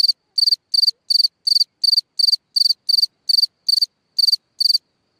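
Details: Night-singing cricket calling from its hole in the ground, giving steady, evenly spaced high-pitched chirps, each made of several rapid pulses, about three per second against complete quiet.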